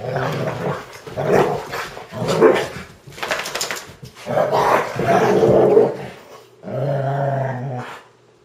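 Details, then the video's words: Two German Shorthaired Pointers wrestle playfully on a blanket one early Saturday morning, snarling and growling in rough, rolling bursts that end in a steadier, lower growl. "Saturday Morning German Shorthaired Pointer Wrestling"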